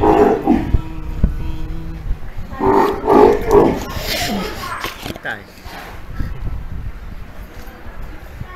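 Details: Steller sea lion pup about three months old, being raised by its mother at an aquarium in Ise, Japan, and described as wary; hoarse, harmonic bawling calls, a short burst at the start and a longer series near three seconds, followed by quieter background noise.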